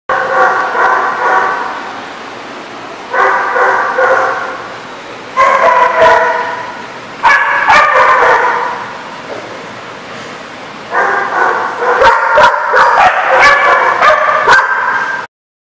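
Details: Dogs barking at a place called The Barking Lot, recorded 19 September 2014: dense bursts of overlapping barks in four loud blocks, separated by quieter gaps, with a steady background hum.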